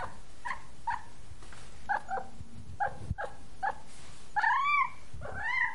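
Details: Quick, high meows from a tired, sleepy kitten: short chirping calls at first, then two longer, arching, wavering meows to close, with a low hum underneath.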